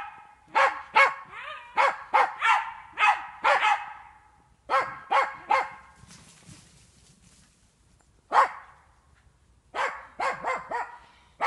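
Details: Jagdterrier working wild boar in an enclosure during training gives bursts of fast, excited barking, several volleys of harsh barks separated by short lulls with rustling.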